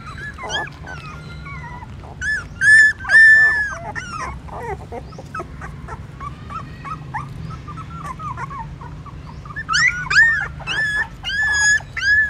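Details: Hungry newborn puppies trying to suck their mother's milk at a pagoda stupa in Siem Reap, Cambodia; squeaky wavering whines in clustered bursts, a quieter stretch midway with softer squeals, then renewed high cries near the end, over low background hum.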